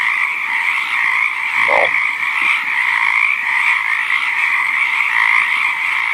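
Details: Frogs calling together in their natural habitat, a constant overlapping trill that never breaks, with a single short lower croak standing out early on.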